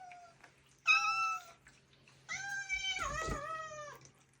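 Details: Domestic cats at snack time while eating treats: a short bright meow, then a longer drawn-out meow that bends downward near its end, over a faint steady low hum.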